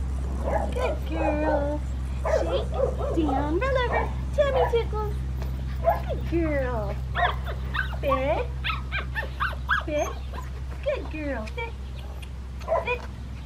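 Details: Red merle female Australian Shepherd puppy from an Oklahoma breeding farm, described as sweet and liking to be held, gives high, arching whines and yelps in irregular bursts over a steady low hum, with human voices nearby.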